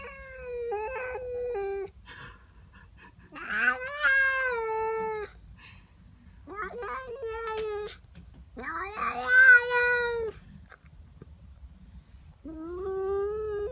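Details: Domestic cat, female, indoors in the morning, yowling at a neighbour cat in her garden: long wavering harmonic wails, some rising then falling, in five drawn-out bursts separated by short pauses.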